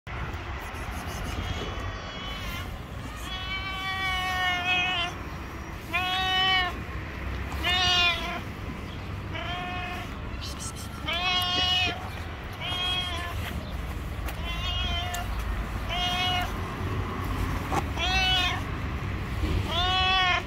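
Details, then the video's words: Yellow stray cat on the street meowing persistently, as if wanting to tell something: about a dozen harmonic, arched meows repeated every second or two over steady low background hum. "Cute yellow stray cat wants to tell me something."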